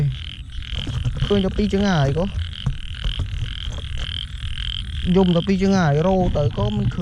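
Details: Big frogs calling at night in heavy rain during a frog-hunting outing: two loud wavering croak bursts, each about a second long, over a steady hum and rain noise.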